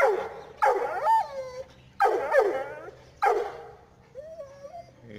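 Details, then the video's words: Bully Kutta, a large South Asian mastiff-type dog, giving three loud, deep, throaty barks about a second apart, each breaking into a whining, howl-like tail, followed by a softer wavering whine at the end. "Big Mouth Pure Bully Kutta Champion"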